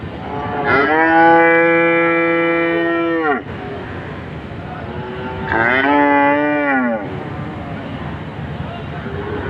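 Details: A cow (Bos taurus) gives two deep, drawn-out moos, the first long and steady, the second shorter.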